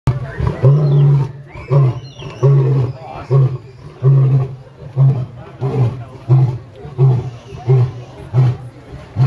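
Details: Captive lion at San Diego Zoo giving a roaring sequence of deep, grunting low bursts, about one every second, with strong pulses fading and returning in a steady rhythm over nine seconds.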